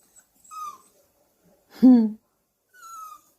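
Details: A puppy indoors gives one loud, short, hoarse bark in the middle, with thin, high, steady whines drawn out just before and after it.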